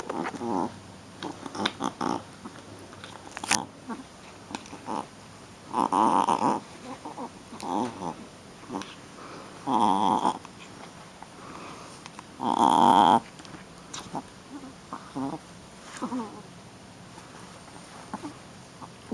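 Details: Female Shih Tzu puppy at rough play, scattered brief grumbling growls with a few longer louder harmonic growl bursts near the middle, plus clicks and scuffling noises.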